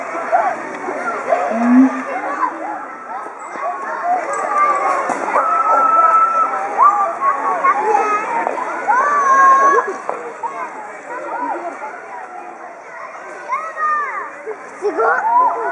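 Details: Two excited siamangs at Chiba Zoological Park, Japan, throat sacs inflated, calling together in a loud territorial threat display, filmed 18 October 2013. Dense overlapping rising and falling wails and whoops fill the air, with crowds of schoolchildren shouting nearby.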